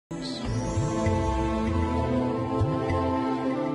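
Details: Soft, tender documentary music with sustained tones and a faint voice, with no animal call.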